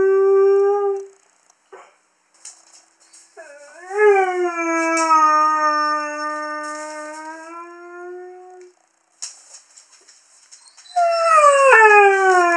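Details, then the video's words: Howling by a young male Curly-coated Retriever, a habit when females are in season: a short note, a pause, then a long howl that rises and slowly sinks over several seconds, silence, and a new sliding howl starting, faint high tones behind. "Curly Coated Retriever Haru howling"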